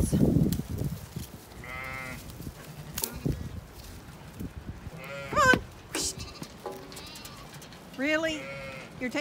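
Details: Ewes and lambs on a regenerative farm in County Kilkenny, Ireland, called in while nibbling leftover scraps on wood chip in a grassy field. Three short wavering bleats at intervals among grazing noises, with a woman calling to the flock.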